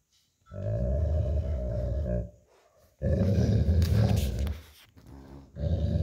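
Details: Old Golden Retriever growling during tug-of-war with an American Akita puppy over a stuffed toy, lying on tile indoors after a walk; long deep rough growls lasting about two seconds, with a brief break and some toy rustling.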